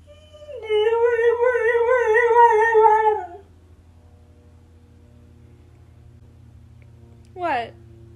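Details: Siberian Husky complaining, wanting to be outside with the other dogs: one sustained, wobbling howl lasting about three seconds, then quiet and a brief rising squeak near the end, recorded indoors on an iPhone XR.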